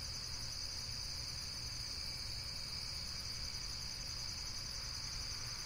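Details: Unbroken high-pitched insect trilling, a bright shimmering buzz holding steady throughout, with a faint low rumble beneath.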